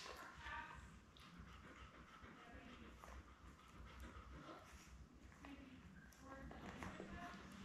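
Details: Newborn Labrador Retriever puppies, a litter of seven born May 24, 2021, with their mother Belle on a live puppy cam; thin, high squeaky whimpers come in short scattered bursts over a steady background hiss.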